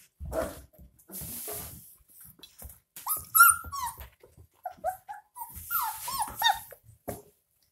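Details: Puppies 22 days old drinking milk from a bottle give thin, high whimpering whines, short rising-then-falling tones in small clusters, mixed with sucking, slurping and clicking noises of feeding.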